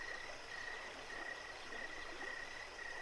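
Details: Crickets at night give short, even chirps at a steady mid-high pitch, repeating about every half second over the rush of a flowing creek.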